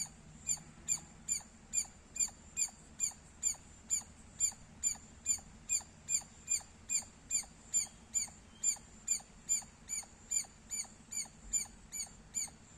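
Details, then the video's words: Loud squirrel chirps in a long, regular run of short, shrill notes, roughly two and a half per second, each sharply clipped and ringing high, continuing without pause against a quiet low rumble. "Loud Squirrel Sounds -squirrel chirping Sounds Loud"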